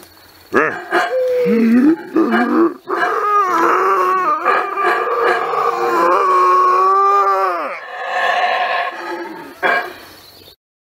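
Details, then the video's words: A howler monkey in Belize gives a long, loud, rough roar that swells and wavers before fading away. "Howler Monkey Roar"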